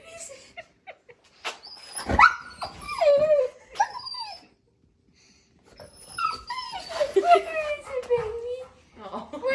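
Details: A male Golden Retriever inside a store talks to small birds outside the window, the only occasion he makes such sounds. Wavering, sliding whines rise and fall with yips and soft grumbles, then pause about a second before resuming.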